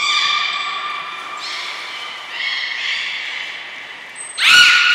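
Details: Belugas Nana, Niko and Mirai during a training session at Port of Nagoya Public Aquarium on 23 February 2023. They give drawn-out harmonic whistles, a long tone followed by two stepped tones. A brief high pure tone comes just before a louder final burst.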